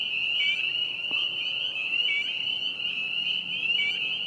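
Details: Chorus of spring peepers at a vernal pond in spring, late April 2020: many high shrill peeps fused into a continuous ringing whine, individual upslurred notes popping out now and then.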